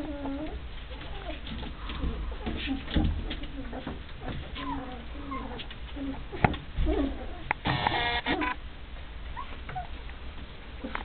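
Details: Rhodesian Ridgeback puppies just under three weeks old, Duscha's second litter born 1 November 2009, play-fighting with their siblings by barking, growling and ear-pulling; short squeaky yips and whimpers tumble over each other amid rustling, with a brief harsh burst near the end.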